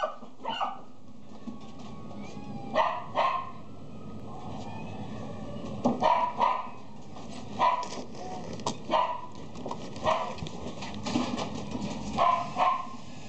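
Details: Miniature Pinscher at a pet shop; repeated sharp barks and yips in irregular bursts, roughly every half second to second, over steady indoor background noise.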